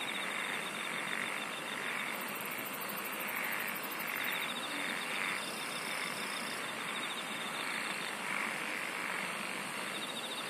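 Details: Many insects singing together: a shrill hum throbbing in regular swells, a very high rapid ticking trill early on, and a thin buzzing pulse coming and going above, all over a continuous hiss.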